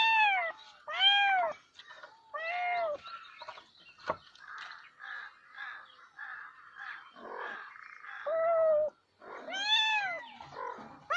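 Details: Cats meowing: a few clear arched meows at the start and end, with a stretch of softer chirping, rapid sounds and a sharp click in the middle.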